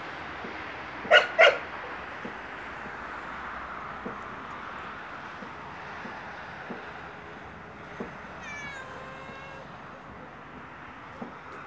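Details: Yellow stray cat outside a house begging for food with one drawn-out, wavering meow late on, while a nearby dog lets out two loud barks early and faint clicks sound throughout.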